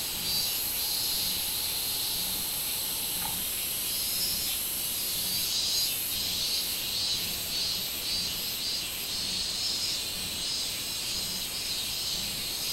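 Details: Minminzemi, the robust cicada, recorded 24 July 2016; an unbroken high-pitched hissing drone with rhythmic pulsed bursts in the upper register through the middle, steady and without pauses.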